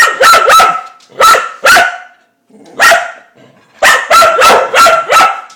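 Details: Indoor pet dog Mississippi barks excitedly while playing with the spinning dishwasher spinner: loud, sharp, ringing barks in quick pairs and bursts, a short pause, then a rapid run of five barks.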